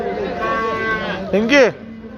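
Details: Cow being looked over by men checking her udder and asking about milk, in Turkey: a brief, falling, nasal low moo lasting under half a second, preceded by a man's Turkish speech.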